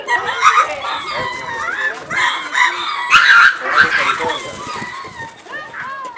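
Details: A group of lemurs moving around their enclosure at Attika Zoo Park, uttering repeated arched, whining calls in an irregular, excited chorus, many short cries crowding one another, with background noise throughout.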